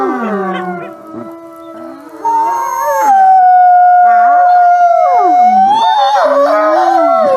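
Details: Wolves howling together: a quieter start with short wavering calls, then a strong long steady howl joined by other voices that slide down and up in pitch, overlapping in chorus.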